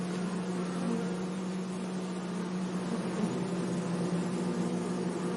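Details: A close bee hums with a steady low tone that wavers slightly midway, recorded among flowers in a sunny meadow over an even, hissy background.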